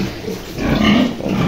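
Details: Short low grunting from a pure Yorkshire breeding sow and her piglets, born the night before; the rough, buzzy grunts rise slightly in the middle, with little other noise.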